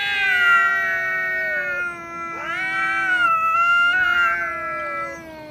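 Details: Quarrelling pair of cats, one somewhat fearful with its tail tucked: steady, long, moaning wails that hold a level pitch, break off, then resume with a rising scoop and slowly fall away.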